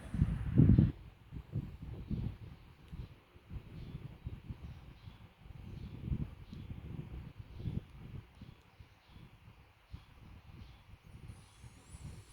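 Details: Namchok, a dachshund, sleeping on a sofa and snoring: low, rumbling breaths repeating roughly every one to two seconds, with one louder snort near the start and faint rustling around.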